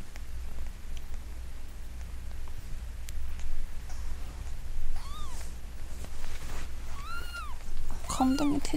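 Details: Newborn Munchkin kitten, five days old, its umbilical cord just fallen off, mewing as it is made to cry; a few high arched mews come late in the clip over low hum and rustling, with handling noises.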